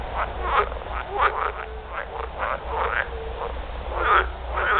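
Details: Several edible frogs (Pelophylax kl. esculentus) give rattling, pulsed mating croaks in overlapping bursts, each a fraction of a second, over a steady low hum.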